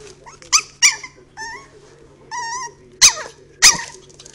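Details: Three-month-old Chihuahua puppy barking for the first time: sharp, high yips mixed with short squeaky, wavering whines, about six calls in four seconds, over a low steady hum.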